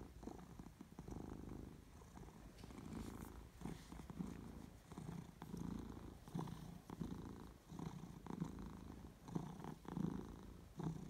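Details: Domestic cat purring, recorded 22 May 2018: a steady low rumbling purr that pulses with each breath, swelling and fading roughly every second, with a faint hiss of room background.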